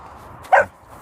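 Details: A 16-week-old Saint Bernard puppy gives one short, mid-pitched yap that lasts a fraction of a second against quiet background.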